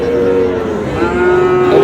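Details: Sahiwal bull calf at a cattle market in Mymensingh, Bangladesh, giving a sustained low moo that slides slightly downward and then holds steady, with faint background murmur of the market.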